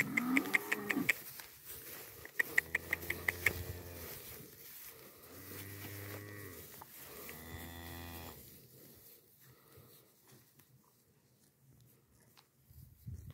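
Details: Holstein heifers from San Pedro de los Milagros and San Roque, Antioquia, kept with Jerhol heifers twelve months and older. Three long, deep, nasal moos come in sequence, each lasting one to two seconds, with sharp clicking taps early on, then quiet.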